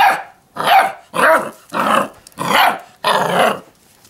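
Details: Six-week-old Labrador Retriever puppies give six rough, yelping barks in quick succession.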